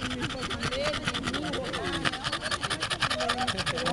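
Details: Overheated French bulldog, barely able to breathe after running around with a black poodle, panting fast in a steady rasping rhythm of about two to three breaths per second, while a person talks over it outdoors.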